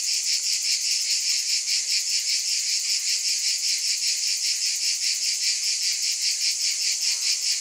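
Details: Shrill continuous cicada chorus with a regular throbbing rhythm near two and a half pulses per second and steady loudness throughout.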